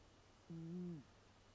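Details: Snore from Leo, an eight-year-old American Shorthair, heard as a drawn-out "uun": one low, steady, humming tone lasting about half a second, slightly rising then falling away at the end, in a quiet room with faint low hum.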